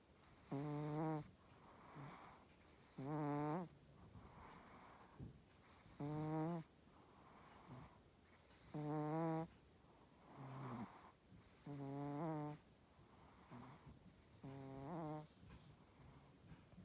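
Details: Sleeping Chihuahua named Coco snores in her usual way in a quiet room: steady rhythm of one breath roughly every three seconds, each a rich buzzing rasp with wavering tone, followed by an airy hiss.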